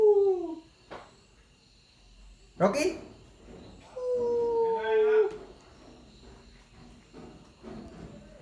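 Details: A 9-week-old Rottweiler puppy gives thin, drawn-out howls that slide gently downward in pitch, copying its owner's sounds.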